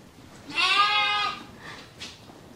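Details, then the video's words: Angora goat on shearing day, a single loud harmonic bleat about one second long with a slight waver, followed by two fainter bleats in the background. "Shearing Day for the Angora Goats"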